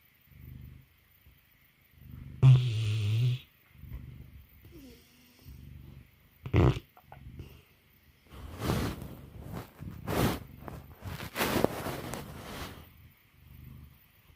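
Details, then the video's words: Sleeping mastiff snoring: low, rumbling snores repeat about every second, with louder snorting bursts and rough breathy noises in the middle of the clip. "Mastiff Snore"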